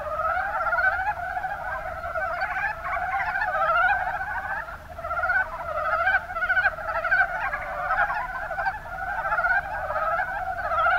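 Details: Chorus of montane (mountain) brown frogs, Rana ornativentris, in the Kuma Basin, Kumamoto, Japan, giving soft, rapid chuckling notes that overlap continuously.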